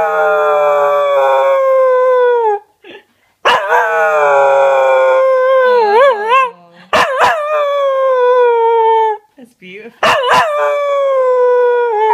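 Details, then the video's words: A chocolate Cocker Spaniel, prompted to sing, howls in long, wavering, falling notes with brief pauses between. "Alfie my crazy cute singing chocolate cocker spaniel"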